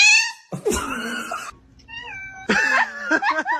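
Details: Domestic cats meowing indoors: a high, bright drawn-out meow opens, followed by a scuffle of noise and a pause, then a run of short rising-and-falling meows near the end.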